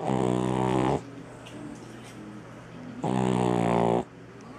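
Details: A-Jin, a three-legged shop cat, snores while asleep indoors: two loud, rough, buzzing breaths about a second long, spaced three seconds apart, with quiet pauses between.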